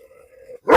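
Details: German Shepherd in Perumbavoor, Kerala, noted for its strong temperament and tested in a dog challenge against strangers: a steady low tone fades out, then one short, sharp bark breaks in at the end.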